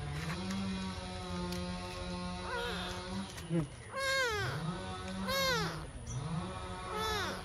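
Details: A small cat meowing: several rising-then-falling meows, each under a second long, come close together in the second half. A steady low engine-like hum runs underneath throughout.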